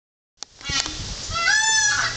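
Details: Male five-year-old blue Neapolitan Mastiff, a rescued stray found and taken to a shelter, now seeking adoption; after a sharp click, a long high whine swells, arching up then gently falling, over steady background hiss.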